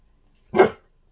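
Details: A single short bark from a puppy indoors with its owner, one sharp burst lasting under a third of a second, then quiet.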